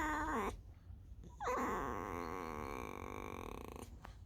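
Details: Female fox resting after a whole night roaming alone and digging many holes, squeaking as if telling where she had been; a short high squeak falling in pitch, a pause, then a long wavering, gradually settling squeaky whine.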